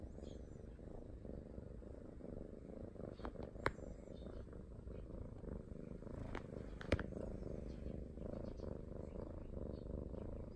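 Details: Affectionate Norwegian Forest Cat, a pet cat asking for attention, purring in a continuous low rhythmic rumble; two sharp clicks and faint high squeaks break in briefly.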